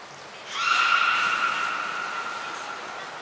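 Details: One of the belugas Nana, Mirai or Niko during training at Port of Nagoya Public Aquarium, 11 January 2021, gives one sustained, even, harmonic tone lasting nearly three seconds. A brief high whistle comes just before it.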